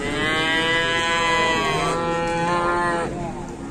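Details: Cattle on an Indonesian farm giving a long, steady harmonic moo lasting about three seconds, then fading into a quieter tail.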